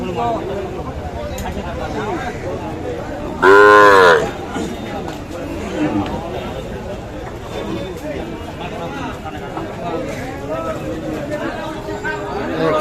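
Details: Sahiwal bull calves at the traditional Kaharol cattle market in Dinajpur district, Bangladesh, 13 July 2024, during heavy rain. One loud, short, harmonic moo of about half a second rises over constant crowd chatter and bargaining voices.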